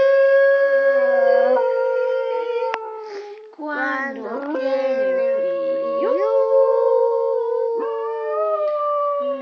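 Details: Schnauzer dog howling along while a person sings the children's song Los Pollitos; long, steady, tonal howls drawn out over several seconds, sliding slightly in pitch, overlapping with human singing voices.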